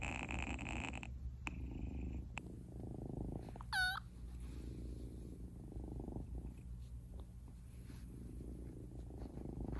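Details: Purring from Eden, a male Munchkin kitten born 8 October 2021 and newly adopted: an even, deep, unbroken rumble, joined midway by a short high whistling squeak and a few faint clicks.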